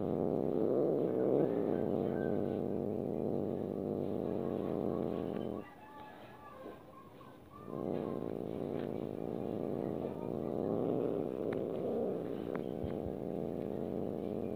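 A domestic cat gives a low, continuous rasping growl, showing displeasure at being stroked.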